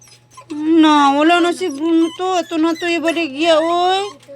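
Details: A dog cries in one continuous, wavering moan that breaks into several joined, rising-and-falling wails. The sound is loud and harmonic throughout, almost without pause.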